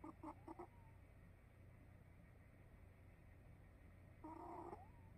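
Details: Cat snoring in its sleep, opening with a few short, stuttering nasal bursts, then a pause before one longer, whistly snore near the end, with a low steady hum underneath.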